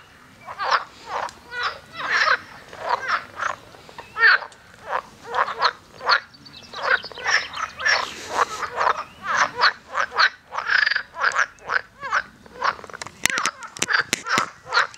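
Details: Toads calling from a lake at Fulda give a steady run of short, rough, croaking pulses, used to hold territory against rivals.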